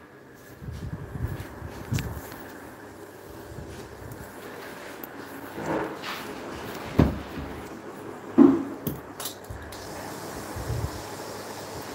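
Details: Indoor room sounds: soft thumps, a few sharp knocks like a cupboard closing, and faint footsteps over a low background hum, with no animal voice.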